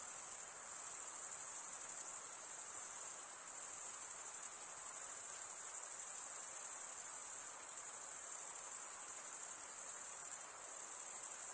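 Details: Male crickets stridulate with their wings in an unbroken high-pitched ringing chorus. A few brief dips in volume interrupt the dense, rapidly pulsed shrilling. No other sounds intrude.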